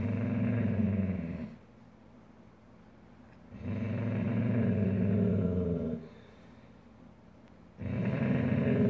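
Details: A Weimaraner gives deep, rumbling growls in long bursts as two Weimaraner sisters squabble over a soft bed after one tore up her own and tried to bully the other out.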